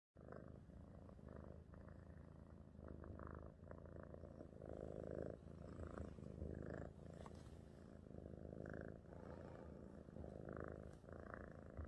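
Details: A very happy domestic cat purring steadily indoors, a low rumbling purr that swells and fades with each breath, with soft louder bursts every second or so.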